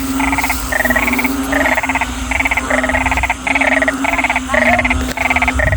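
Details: At night after heavy daytime rain, a loud chorus of narrow-mouthed frogs gives short, buzzy pulsed croaks, overlapping rapidly, over a steady low drone, heard while out catching frogs.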